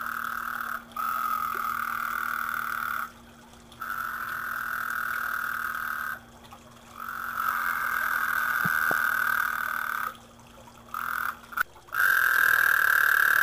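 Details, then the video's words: Frogs croaking in a backyard garden pond in 2010, a steady nasal drone in long stretches of several seconds broken by short pauses, with a low constant hum underneath. "Croaking frogs"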